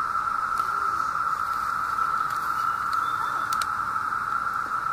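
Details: Massed 17-year cicadas emerged in summer 2016 in Southeastern Ohio, singing loudly in great numbers: an unbroken, even droning whir at one steady pitch fills every second, with faint clicks and rustles.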